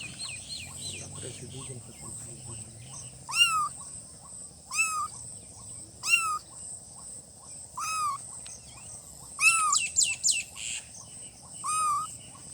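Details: Cute newborn kittens giving thin, bent mews roughly every one and a half seconds, then a quick cluster of several overlapping cries near the end, with a faint low murmur at the start and a constant high hiss throughout.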